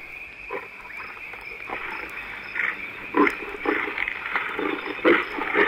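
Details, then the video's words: Wild lioness in Africa calling her cubs near water and a fresh kill; short grunting calls come in rough bursts of about two per second over a steady background hiss. "yes the lioness is calling the cubs i don't think they'll move far away probably over to those rocks behind us"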